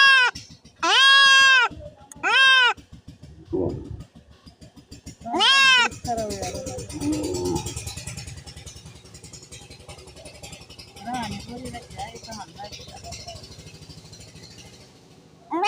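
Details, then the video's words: Goat during castration giving three or four loud, nasal, harmonic-rich bleats in the first seconds, followed by quieter scuffling, handling noise and murmuring voices with fainter cries. "ছাগল খাসি করানো"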